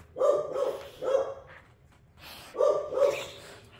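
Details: Pit bull puppy and an older rescue pit bull play-wrestling indoors, the baby-toothed puppy giving harsh, nasal growling snarls in two pairs of bursts separated by a short pause.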